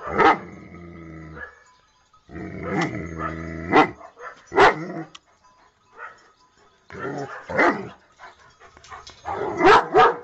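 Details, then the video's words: Domestic dog barking in loud bursts, with longer drawn-out harmonic stretches between sharp cracks over about ten seconds. "Funny dog barking videos compilation"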